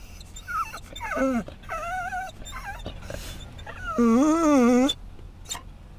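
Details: Scottish Terrier whining on seeing other dogs at a rest stop on I-10 in Florida; high wavering whimpers, several short ones then a long quavering whine, with faint background noise.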